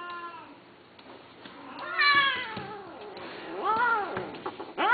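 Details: Cat giving three clear meows, each a rising then falling wail, the middle one loudest, in a quiet room.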